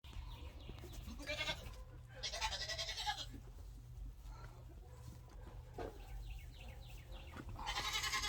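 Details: Friendly Nigerian Dwarf baby goats crowding together before feeding, several short, harsh bleats at about 1.5, 2.5 and 8 seconds over steady low rumble and faint rustling.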